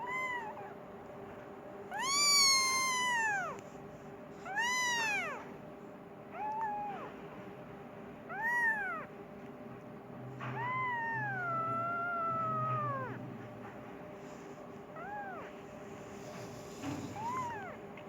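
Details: A Persian kitten wanting food meows for its mother: several rising-falling meows, one long descending cry near the middle, then softer calls, with a low rumbling noise and steady hum beneath.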